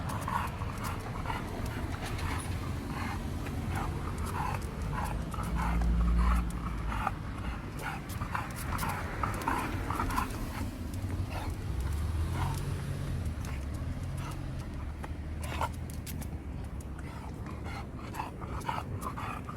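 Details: Khan, a pet dog home again from Gageodo and in a sulk, pants in fast, even breathy bursts several times a second, with a low background rumble throughout.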